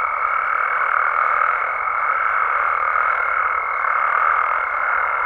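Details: Night chorus of Mexican frogs and toads in natural habitat: a dense, unbroken mass of croaking calls, with a steady high thin tone held throughout above the chorus.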